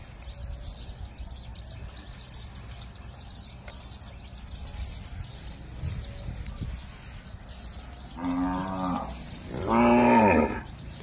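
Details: A bull waiting for a cow gives two short moos near the end, each a rich, harmonic lowing call about a second long, the second louder. Before them is a quiet stretch of low rural background rumble with faint scattered noises.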